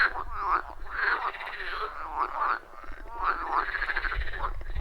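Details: Wild forest pond frog chorus captured on iPhone 14 Pro with Shure MV88+; dense overlapping croaks with wavering, bubbling rises and falls, plus a low rumble of background noise underneath.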